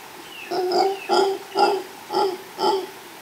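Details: Mantled howler monkey, a male calling near a female in Los Tuxtlas Biosphere Reserve, Veracruz, Mexico, recorded live by chance; five short, guttural barking roars in quick succession, each rough and harmonic-rich.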